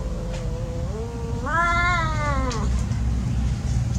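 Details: Playing cat gives a single long yowl, starting as a steady low moan, then swelling and rising into a louder wavering cry before falling away, over constant low rumbling noise.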